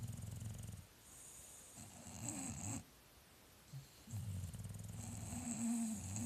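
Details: English Bulldogs in a snoring contest: deep, rasping snores of about a second each come in quick succession, each with a thin high whistle riding above the low rumble, with short quiet gaps between bouts.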